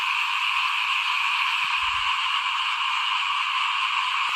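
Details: Frogs chorusing by a house while rice is sown for planting, 2021. Many overlapping callers merge into a continuous high, buzzy drone, with a brief low rumble near the middle.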